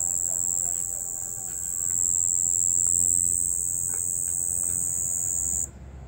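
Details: Night-time cricket chorus, one continuous piercing high trill holding level for over five seconds, then cutting off abruptly near the end, leaving quiet background.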